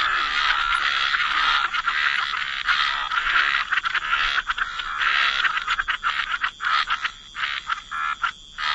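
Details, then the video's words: Calm wetland soundscape of croaking frogs, a dense grating chorus that holds steady for several seconds, then loosens into quick separate croak bursts toward the end. "Frog Lullaby: Relax to the Sound of Croaking Frogs"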